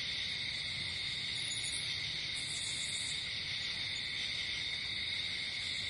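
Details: Crickets at night in nature, many insects trilling together in one constant high, ringing drone without breaks, steady loudness throughout and faint low ambient noise beneath.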